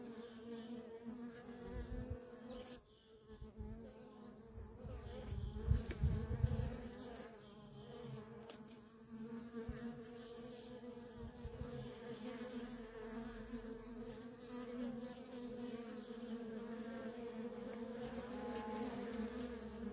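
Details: Worker honey bees in nonstop traffic at a feral colony, a steady droning hum with a low fundamental and a strong overtone about twice as high, plus low rumbling thumps around five to seven seconds.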